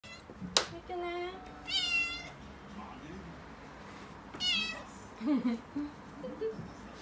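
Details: Six-month-old female calico kitten named Mikene, indoors and frightened as delivery men bring a new refrigerator; two sharp harmonic meows with rising-falling pitch near the start, then quieter cries later, with voices and household noise around.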